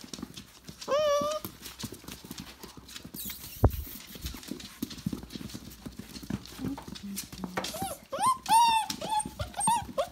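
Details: Litter of five-week-old Tamaskan puppies indoors: a short high whine with stacked overtones early on, then a run of rising-and-falling yelping whines near the end, over soft pattering and a woman's gentle voice.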